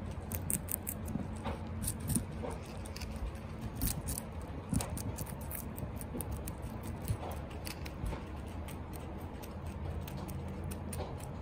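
A guinea pig crunches celery, its quick, crisp bites and chewing clicks coming in an irregular patter.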